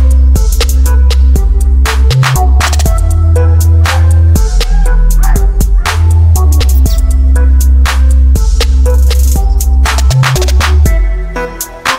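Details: Loud hip hop music with a heavy bass and drum-machine beat fills the whole recording, with no animal sound.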